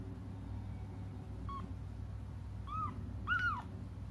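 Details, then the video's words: Kittens crying until their mom comes back; after a quiet start, a short faint mew is followed by two clearer arched, downward-bending cries near the end, over a low steady hum. "until their mom comes just stop crying"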